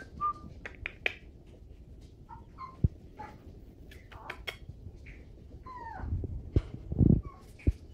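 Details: Four-week-old Chihuahua puppies from Penny and Mojo's litter give short, high squeaky whines, several sliding downward, scattered across the clip over steady rustling and a few soft thumps of handling.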